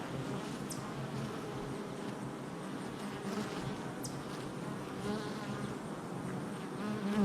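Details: Honey bees coming and going at their hive entrance, July 22nd, 2024: soft steady hum of many wings, slightly quieter, swelling to a close, loud buzz at the very end.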